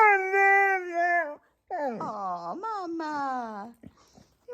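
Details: Female pet dog complaining indoors: a steady, sustained moan, then a series of wavering, swooping whines that rise and fall in pitch and slide downward at the end, with a woman's voice briefly at the close.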